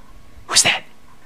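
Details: Waking up from an afternoon nap, Bailey the dog lets out one short, breathy snort or sneeze in two quick pulses, bright and hissy, with a quiet room behind it.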